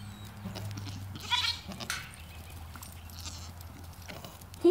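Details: Goats being fed: a loud, wavering bleat bursts out briefly, then a shorter cry follows, with low steady hum underneath and faint handling noises near the end.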